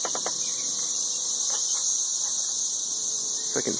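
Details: Dense chorus of 13-year periodical cicadas in Nashville, Tennessee, swarming in the trees and mating. They make a loud, unbroken high-pitched hiss with no breaks. A few soft clicks and thumps sound nearby.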